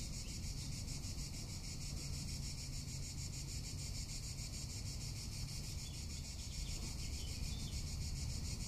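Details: Cicada in summer in Tuscany, a steady shrill buzz pulsing rapidly and evenly without pause, over a low background rumble.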